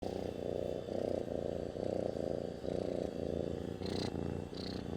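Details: Pet cat purring, a loud close rumbling purr in rhythmic pulses a bit under a second long, alternating with each breath, with two brief higher hisses near the end.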